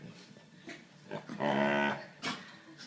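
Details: Labrador Retriever playing with a puppy, giving a strained, harmonic whining growl that swells for about half a second midway, framed by softer huffs and scuffling noises.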